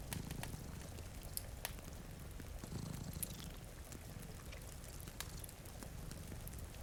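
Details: Sleeping cats in front of a rainy window purr in a deep, throbbing drone that rises and falls in slow breaths. Fire pops and crackles, and gentle rain patters steadily behind the purring.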